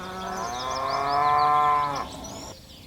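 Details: Tame cattle from a herd of dozens nimbly leaping down a hillside on a mountain slope; one long, steady moo that sags slightly in pitch before cutting off, followed by quiet outdoor air.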